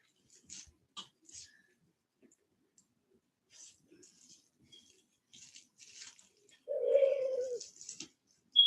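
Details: Cane Corso, the Italian Mastiff, from a breeder west of Nashville, Tennessee: one drawn-out, steady mid-pitched whine lasting under a second near the end, preceded by scattered faint clicks and rustles in otherwise quiet surroundings.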